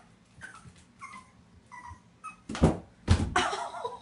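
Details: Black and white Boston Terrier puppy whimpering at a bathtub he wants to get into: a few short rising whines, then loud thumps and scraping as he jumps and crashes indoors.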